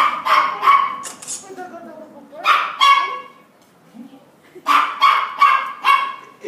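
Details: A Cocker Spaniel named Thor greets his people after fourteen months apart. He gives short high barks and yips in quick runs, with a falling whine in between. Portuguese voices talk over the gaps.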